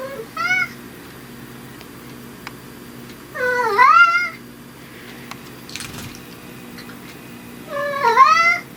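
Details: Indoor pet cat Riki, a brown tabby said to sound completely different with dad present or absent, gives three drawn-out, wavering meows several seconds apart, with a soft clatter between them.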